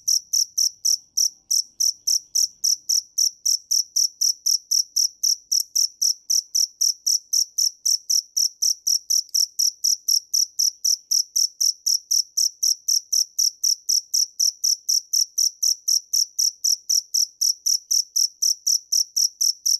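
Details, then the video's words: A cricket keeps up a long, unbroken run of sharp, high chirps, about four each second, evenly spaced and loud throughout, with a quiet background. "Tiếng dế mèn hay nhất 2017 - The crickets - Cricket"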